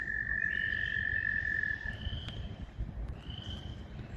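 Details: Northern tree frog calling in Busey Woods on a spring hike, 5 2 2020, in woods said to suit them when wet; a long steady whistled tone, then shorter, higher whistled notes repeated, described as a weep weep.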